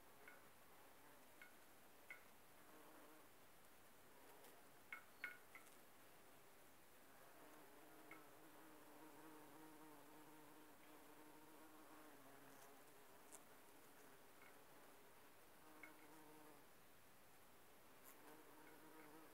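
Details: Bumblebees foraging on aconite blossoms: a soft, continuous low drone with layered overtones that swells and fades as the insects shift between flowers, with scattered faint clicks and a few short high chirps.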